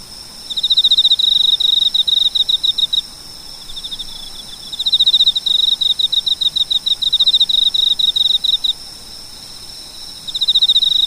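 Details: Cricket calling: rapid bursts of high, ringing pulses, each train lasting two to three seconds and separated by short pauses, with faint steady background hiss.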